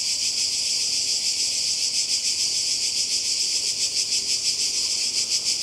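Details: Chorus of cicadas on the Croatian coast in summer 2020, a shrill continuous buzz with quick regular pulsations in loudness and nothing else prominent.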